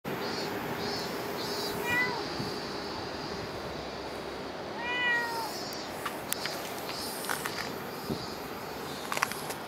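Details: Cat at Dockyard Garden, recorded 10 August 2016 around 6:08 in the morning, giving two drawn-out, slightly rising meows about three seconds apart over a steady background hum, with a few faint clicks afterwards.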